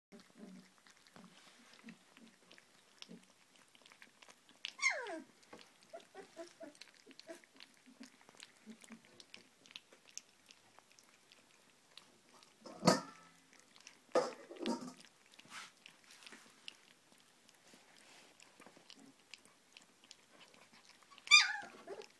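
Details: Hovawart puppies from the Machovská tvrz kennel, indoors in a small room, giving short high whines that sweep downward, mostly around five seconds and again near the end, among soft squeaks, chewing and rustling.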